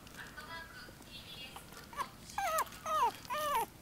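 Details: Female silver Toy Poodle giving short high whining whimpers, three or four descending cries in quick succession near the end after a quieter stretch, with faint background noise.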